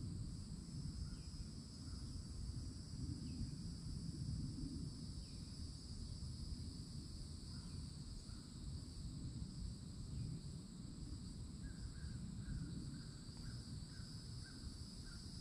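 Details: Cicadas singing loudly in summertime at a Florida forest edge by an old oak tree: a steady, high, two-toned drone holding without pause, with scattered short bird chirps and a low rumbling background.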